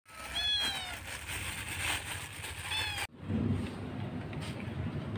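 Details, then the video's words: Stray cat crying by a roadside in Jakarta while watching passing vehicles, two plaintive rising-falling meows in the first three seconds, followed by low rumbling traffic noise. "Kucing menangis dipinggir jalan"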